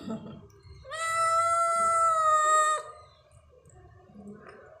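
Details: Stray cat recorded at night, 22:39, giving one long drawn-out meow lasting about two seconds, steady and slightly falling at the end, with faint low background rumble before and after.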